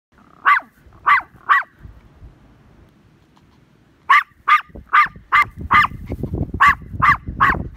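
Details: Tiny Maltese dog chasing a herd, giving sharp, high yapping barks: three quick barks, a pause, then a rapid run of about eight, over low rumbling and trampling noise.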